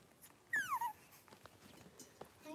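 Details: Young Cavalier King Charles Spaniel puppies playing in their pen; one short whimper slides smoothly downward in pitch over under half a second, then faint rustling and soft background noise.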